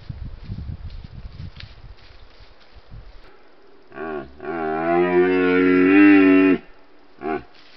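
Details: A red deer stag in Retezat National Park, Romania, gives a deep, drawn-out roar during the rut (mating season), followed by a brief grunt, caught on a wildlife monitoring camera.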